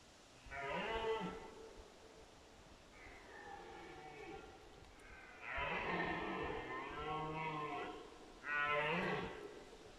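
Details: Red deer roaring during the 2022 rut: drawn-out, hoarse, groaning roars with deep harmonics, repeated in bursts over ten seconds. A steady hiss of background noise.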